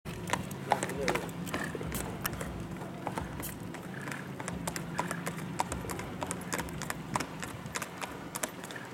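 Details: Tall white Tennessee Walking Horse stallion, a saddle horse and pacer, in Cass County, Texas: irregular, sharp clip-clop hoofbeats tapping several times a second, with people talking nearby and low background rumble.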